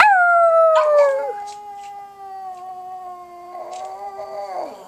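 A pug gives a long, sustained howl that slides slowly downward and then wavers.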